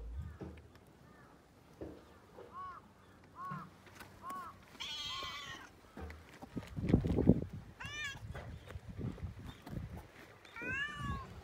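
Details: Domestic cat being petted, giving several short, rising-then-falling meows spaced a second or two apart, with a longer, brighter meow near the middle and more toward the end, over soft rustling and handling sounds.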